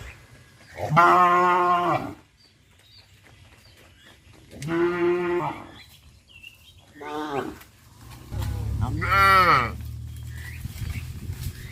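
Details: Tame village cattle running toward a green pasture in the morning, giving four loud, deep, drawn-out moos, each about a second long with a few seconds' pause between them, over a low rumbling background.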